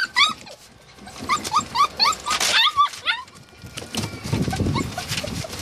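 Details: Samoyed and Siberian Husky puppies yelping in short, bent, harmonic cries, about four per second, in a rapid run that fades into low rumbling noise near the end.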